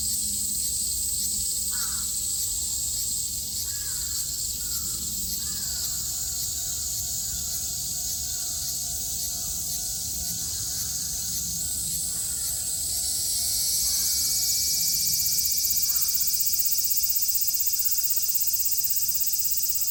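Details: A dense, continuous, shrill and unbroken cicada chorus in Japan in summer 2022, with crows cawing now and then.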